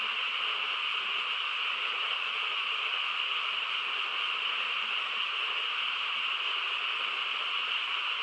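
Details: Chorus of frogs on a still rural night, countless voices merged into a continuous shimmering drone, high buzzy layer over a softer lower hum, even in loudness from start to finish.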